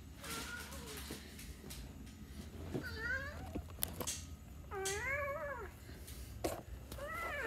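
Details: Cat meowing indoors: a few separate meows with rising then falling pitch, the clearest a drawn-out arched cry near the middle, then a shorter rising meow at the end, over a low steady room hum.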